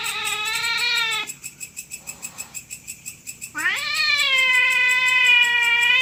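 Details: Territorial cat fight at night: a loud sustained wail, a two-second gap filled by pulsing chirps, then a sharply rising howl that settles into a long, steady, strident tone.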